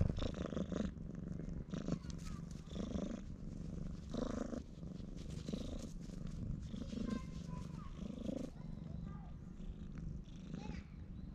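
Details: A stray cat seeking affection purrs loudly while rubbing against legs and refusing to leave, filmed on a GoPro HERO8; steady low rumbling pulses in bursts roughly every one to two seconds.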